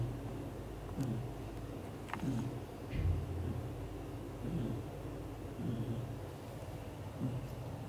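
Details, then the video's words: British Shorthair father cat Leo asleep, hugging the mother cat and their kittens, snoring loudly: low, soft rumbling breaths pulsing about once a second over a steady low hum. "Daddy cat gently takes care mom cat and their kittens, hugs all to sleep and snoring loudly"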